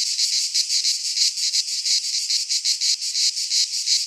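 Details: Cicadas singing in midsummer in a Greek pine forest: a dense, harsh buzzing chorus centred high, pulsing in loud throbs about three times a second, with no other sounds.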